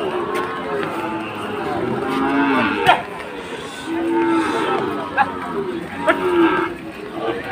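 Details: Sahiwal bull cattle at Chattogram, Bangladesh, during rain on Eid's second day: deep, sustained moos recur about every two seconds, each a long even bellow, with sharp knocks and faint human voices behind.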